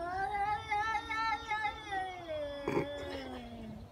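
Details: Angry fighting cat giving a sustained, wavering yowl that slowly falls in pitch, with a short noisy burst near the end.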